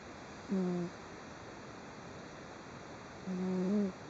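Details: Cat snoring in deep sleep with slight twitches, recorded 3 June 2011: two low, humming snore notes with soft harmonics, the second longer and rising slightly at its end, separated by quiet room background.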